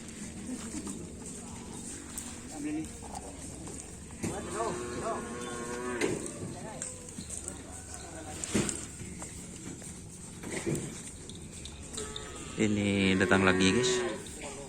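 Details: Lowing from karapan sapi racing cattle as teams are paired. Several drawn-out harmonic moos of a second or two, with the longest and loudest near the end. Music and voices play throughout.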